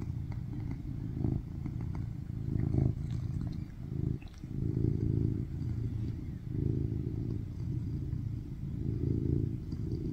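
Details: BabyCharlie, a rescued tuxedo cat born in 2019, purring loudly on a lap while kneading and giving hand kisses, filmed August 2023: a deep continuous rumbling purr swelling and fading in long cycles, with faint rustling.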